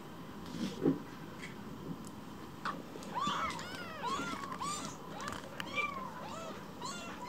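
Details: Rescued baby kitten named Kira indoors at home, after getting lost in the house: a run of high, arching meows repeated roughly every half second, several overlapping, over a low room hum with faint handling clicks.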